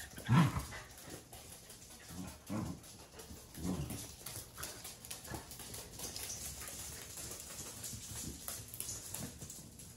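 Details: A household of four Welsh Corgis (three males, one female, born 2017–2019) gives one sharp bark, followed by a few softer, scattered barks and huffs.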